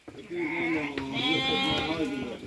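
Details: Sheep, a newborn lamb born at midnight, with a long wavering harmonic bleat sustained over two seconds; background noise and faint speech.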